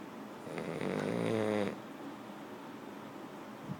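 A French Bulldog lets out a single drawn-out snore, a low, buzzy rattle that swells and then cuts off after about a second. The rest is quiet room noise with a faint soft breath at the end.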